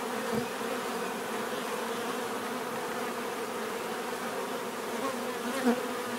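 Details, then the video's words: Steady buzzing from bees, a dense warm hum with a soft tap near the start and a short sharper click toward the end over the unbroken drone. "bees therapy relaxing natural buzzing sound"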